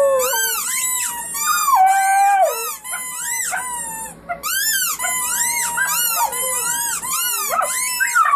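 Several puppies howl together in high, wavering, overlapping wails that rise and fall.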